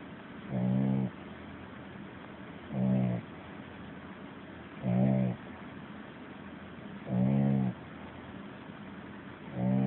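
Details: A young puppy asleep, snoring loudly: five deep, rasping snores about every two and a half seconds, each roughly half a second long, with near-silence between breaths.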